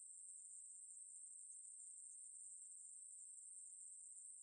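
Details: Ruspolia katydid singing a sustained, very high buzzing trill, even and unbroken, in a 2020 national biological resources institute recording; no other sounds present.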